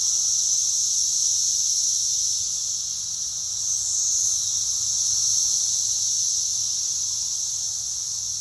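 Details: Backyard chorus of Brood X periodical cicadas in a pear tree, reported at 113 decibels, forms a continuous shrill droning wall of sound that gently rises and falls in intensity throughout.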